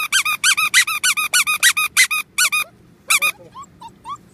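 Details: Shrill, squeaky yelping from Golden Retriever puppies, roughly a dozen sharp, bent notes in quick succession, then a pause, one more short burst, and a few faint, thin whimpers trailing off.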